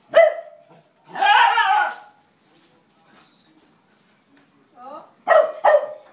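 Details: Siberian Husky barking during its first experience with a broom; a sharp bark at the start, a longer whining vocal sound, then a quiet gap and a pair of sharp barks near the end.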